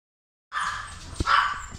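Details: A male silver tabby American Shorthair kitten born 22 February 2018 gives a drawn-out, high mew that swells briefly near its end.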